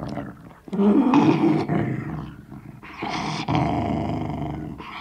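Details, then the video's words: Sealyham Terrier with a bone, recorded inside: snarling growls with a harsher, raspier edge, several gravelly bursts broken by brief pauses and a quieter rumble between them. "Sealyham Terrier Growling With Bone"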